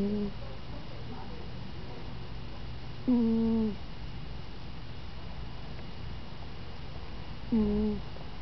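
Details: Brie, a pet cat, snoring while asleep indoors; she sometimes snores at a higher pitch. Short hummed, nasal snores dip slightly in pitch, recurring about every four seconds with steady room hiss between them.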